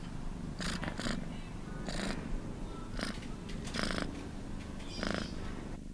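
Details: Domestic cat purring in a steady low rumble throughout, broken by several short broadband breathy bursts at irregular intervals, roughly every second.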